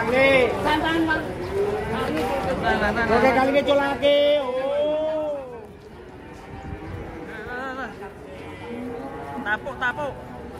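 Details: Cattle being unloaded from a truck: several drawn-out, rising-then-falling moos overlap through the first five seconds, then quieter lowing follows beneath people talking and chattering nearby.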